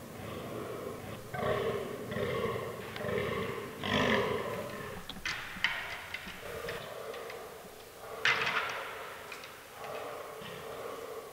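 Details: Fallow deer bucks during the autumn rut in a forest, herd including albino and melanistic animals; a run of deep, harmonic groans in quick bursts, then scattered sharp knocks and clatters, possibly from fighting.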